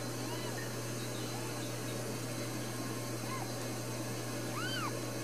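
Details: Newborn Ragdoll kittens in a central Kansas home cattery produce faint, scattered squeaks, then one clearer rising-and-falling mew near the end, over a constant low hum.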